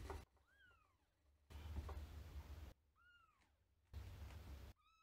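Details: Young gray kitten of wild-blooded Paraguayan stock, a month old, meeting an older cat who has entered its place indoors; thin rising-falling mews, two in the first seconds and more later, between bursts of low rumbling handling noise.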